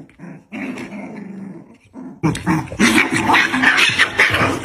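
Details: Fight between a black dog and a white dog: a low rumbling growl turns into loud, harsh, rapid snarling and yelping, dense and continuous through the second half.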